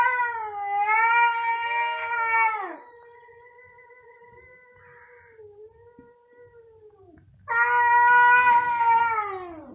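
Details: Two cats meowing very loudly: long, drawn-out, rich tenor meows, each sliding downward at the end, with a quieter wavering meow between two loud ones.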